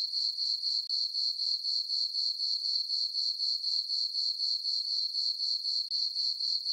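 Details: Summer night chorus of crickets in a meadow on the farm beneath a full moon and dark skies: continuous shrill chirps pulsing about four times per second, very regular throughout, nothing else audible.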